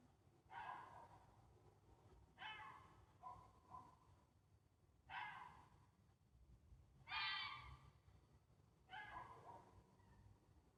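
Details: Fox calling in Sheffield, UK, on Monday 26 August 2024: five hoarse, breathy, rasping cries about two seconds apart, some doubled, over a constant low rumbling background.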